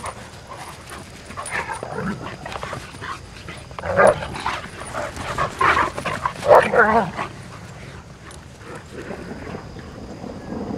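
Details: Four female Irish Wolfhounds at play on a morning walk, giving short whining, yelping bursts that cluster between four and seven seconds, some with clear harmonic tone, over a steady background hiss with possible human voices.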